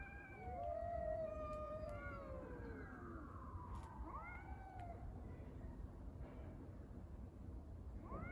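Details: Street cats fighting over a litter box: drawn-out, wavering harmonic yowls that overlap and slide up and down, with several voices crossing in the first seconds, over steady low background rumble.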